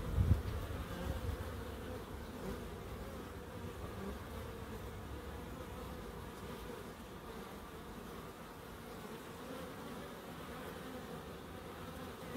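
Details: Bees hum in a small wildlife garden in Crookes: one unbroken, level drone at a low-middle pitch that holds for the whole stretch after a brief knocking at the start.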